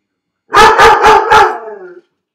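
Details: Left alone in his dog crate, the dog Felix gives four rapid, loud barks in a row, the last one trailing into a drawn-out, falling whine.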